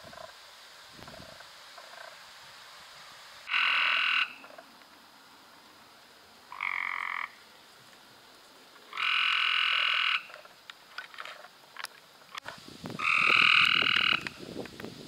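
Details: Cope's gray treefrogs calling in May 2016, with four separate raspy, rapidly pulsed trills spread over fifteen seconds, lasting from under one to about one and a half seconds, over a steady low hiss and some clicking.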